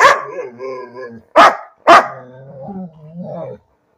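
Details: A pet dog barking for no reason: two loud, abrupt barks in quick succession, surrounded by a person's drawn-out speaking voice.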